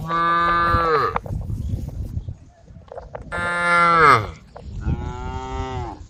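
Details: A mixed brown, white and black cattle herd wanders a dusty rural road, mooing to call the herd. Three long, rich moos come in quick succession, the first dropping in pitch as it ends, over low rumbling road noise.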